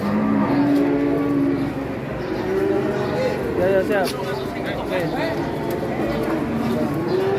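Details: Giant Pegon cow lowing with drawn-out, steady, low moos, one early and a wavering one midway, over constant background chatter, music and crowd noise.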